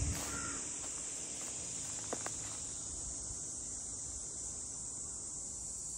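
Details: Continuous shrill buzzing of cicadas over the waterside boat houses of Ine, north of Kyoto, Japan, a level high-pitched hiss holding throughout, with a few sharp clicks and soft low rumble beneath.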